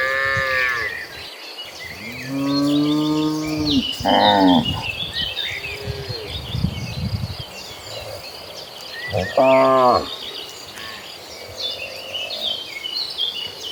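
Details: A herd of dozens of cattle heading toward green pasture; several moos from different animals, one long drawn-out low call, a short rough bawl and a later brief moo, over faint high chirping.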